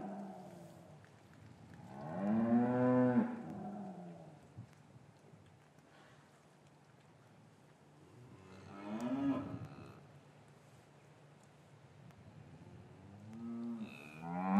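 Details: Cattle in an English yard on a winter's afternoon, calves taken from their mothers, low repeatedly: a strong two-second moo, a second around nine seconds, and a rising call at the end, with quiet yard ambience between.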